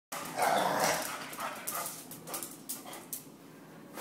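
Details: A Basset hound and a Jack Russell terrier play-fighting together indoors: rough, snarling growls peak in the first second, then shorter gruff growling bursts fade over the remaining seconds.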